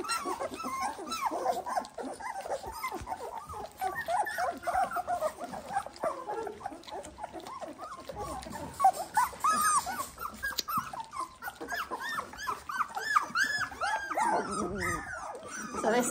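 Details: Litter of 18-day-old Dalmatian puppies, with a chorus of overlapping high whines and squeals, rising and falling arcs packed densely throughout, the many small voices blending into a continuous, restless crying.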